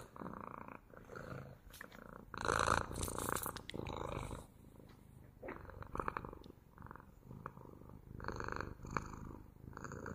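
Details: A cat purrs continuously for ASMR, the rumble swelling loudest early on, then continuing in softer, irregular breath cycles with small clicks and rustles.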